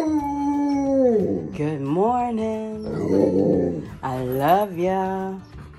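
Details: Pet dogs howling in a bedroom during a morning song shared with their owner: long wavering howls that slide down, then rise and fall in drawn-out arcs, mixed with a person singing along.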